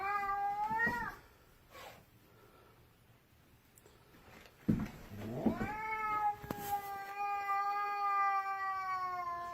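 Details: Cat that will not let its owner pass down the stairs utters two long, steady yowling meows, the first lasting about a second, the second drawn out over four seconds, separated by a quiet stretch and a thump.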